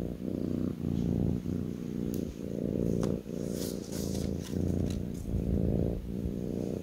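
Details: Rumbling purr of a kitten settled on a person's lap, pulsing with each breath about every three-quarters of a second, with brief rustling and soft clicks partway through.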